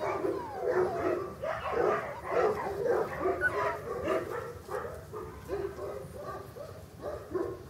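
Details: Young English Cocker Spaniel puppies, born in August 2011 and kept at a breeding kennel, whine and yip in quick irregular bursts, a rising squeal early on, the calls gradually thinning out.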